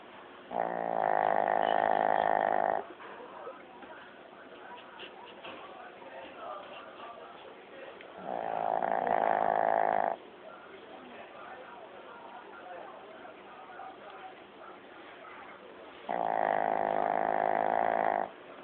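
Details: Elderly Shih Tzu Lao Yun sleeping and snoring, recorded years ago on an old phone; three loud, rattling, two-second snores spaced roughly seven seconds apart, with quiet breathing and faint room noise between.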